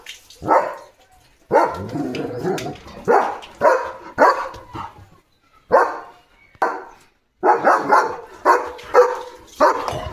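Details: Early-morning barking by a German Shepherd at another dog outside: loud, rasping barks in irregular bursts, some grouped in quick runs of three or four, with brief silent gaps.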